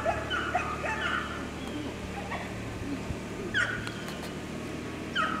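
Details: Ten-week-old Labrador Retriever puppies making high thin whines and yips, short rising-falling squeals scattered over a few seconds, above a steady low hum in the background.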